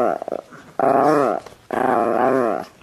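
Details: Chihuahua indoors in a small room answering its owner's repeated "say I love you" with vocal sounds: a short quavering yowl, then two long, drawn-out moaning groans that bend in pitch, like a dog trying to talk. A woman's coaxing voice falls between them.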